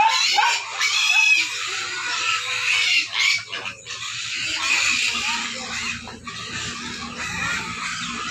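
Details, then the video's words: Hungry pigs at feeding time squealing loudly and continuously, harsh noisy screams overlapping in a dense chorus, with a low steady hum beneath. "Pigs Sounds Tells Hungry"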